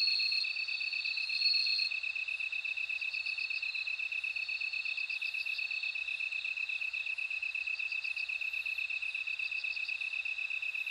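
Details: Bell cricket: repeated bursts of bright, bell-like trilled pulses ring out over a steady, fast-beating high chorus of insects. Brief sustained ringing notes fall between the bursts.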